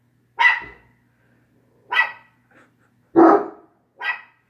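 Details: Dog barking in four short, sharp, harsh barks spaced about a second and a half apart, the third deeper and fuller than the others, with quiet in between and a faint low hum.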